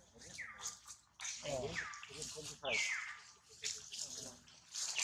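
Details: Baby monkey Duke, hurt after his mother Duchess fails to catch him, cries loudly: several shrill, whistled screams sliding downward, each under a second, among sloshing, clattering noises and faint voices.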